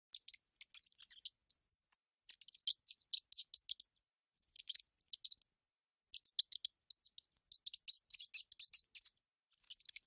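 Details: Mouse. A mouse squeaks in thin, very high chirps mixed with dry clicking. The sounds come in rapid bursts of several notes, separated by short pauses.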